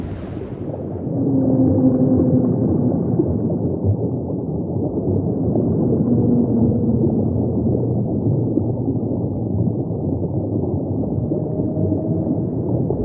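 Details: Deep-ocean humpback song: long, level moaning units, some low and some higher, recur every few seconds over a constant roaring underwater hiss.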